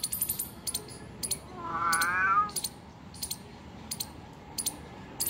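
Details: A single short, warbling meow from a house cat found two kilometres from home sounds mid-clip, surrounded by regular sharp metallic clicking.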